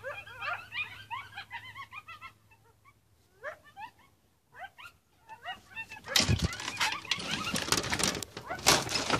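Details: Several coyotes at a gate give quick, high, rising yips in scattered bursts with brief pauses, then loud rustling and broadband noise take over the final third.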